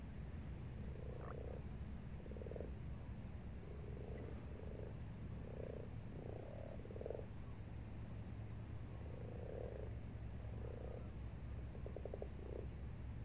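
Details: Frogs in a pond in March croak in short, low, throaty bursts, some rattling, at irregular intervals over a deep rumble.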